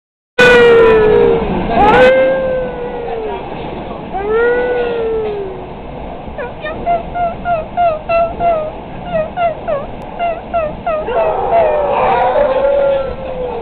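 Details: A dog provoked to howl on board a train gives long drawn howls that rise and then fall, one after another. Quick bursts of short repeated squeals follow in the middle, with train rumble underneath and a final howl at the end.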